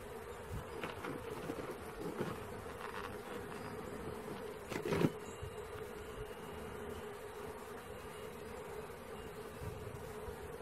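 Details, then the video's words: Honey bee swarm being caught: a steady, dense buzzing hum holds a low drone throughout, with brief louder crackles and a bump near the middle as the swarm is disturbed. "Catching Bees start to finish bee swarm"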